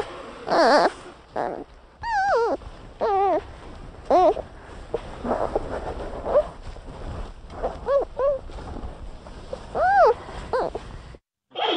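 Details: Panda bear giving high, wavering whine-like squeals that rise and fall, in short separate bursts several times, with a faint hiss between them.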